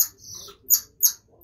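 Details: A golden lion tamarin at a zoo enclosure alarm-calls at a keeper, giving sharp, high chirps repeated in quick bursts.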